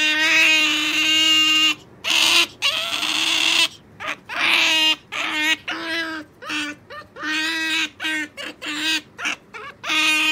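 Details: While waiting for jerky, Sakura the pet otter whines nonstop. A long continuous squealing cry gives way to choppy, irregular bursts of shrill harmonic chirps.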